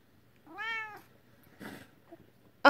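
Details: A female British Shorthair cat gives a single clear meow that rises slightly, then falls away.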